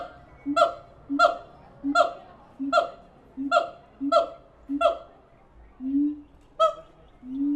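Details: Siamang apes at the Tulsa Zoo give loud, honking whoops, repeated in a steady series about every half second.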